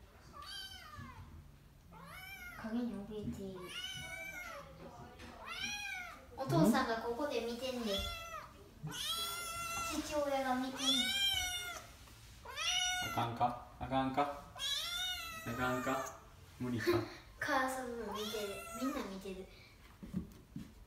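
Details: Kitten Oiro, mastering the trick of going down stairs indoors, meows over and over, bright arched cries every second or two, some drawn out and wavering, with people talking softly in between.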